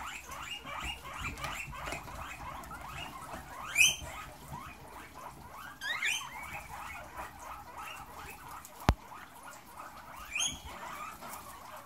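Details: Caged guinea pigs in a herd stampede toward fresh vegetables set in their cage. A dense chorus of short rising squeaks runs throughout. A few louder upward-sweeping whistles stand out, along with one sharp click and rustling bedding.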